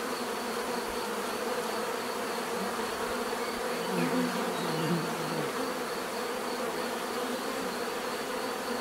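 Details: Bees buzzing naturally, a dense steady hum of many insects with one louder bee passing close around the fourth to fifth second, its drone dipping and swelling before fading back into the swarm.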